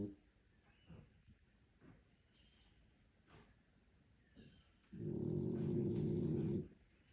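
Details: An asleep French Bulldog gives one long, deep, rattling snore lasting almost two seconds after several quiet seconds of soft breathing and faint room noise.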